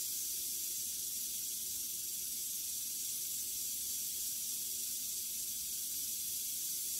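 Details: Western diamondback rattlesnake, recently shed about three days earlier, kept with a pygmy rattlesnake, around a mouse it kills: a steady, unbroken high hissing buzz of the rattle lasting the whole seven seconds.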